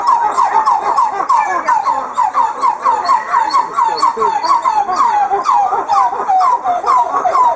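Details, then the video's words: Morning chorus of red coppery titi monkeys, whose many sounds keep the group together. Rhythmic, rising, whooped notes repeat about twice per second in a steady pulsing series, overlaid by softer chattering from other group members. "Red Titi Monkey Call Singing"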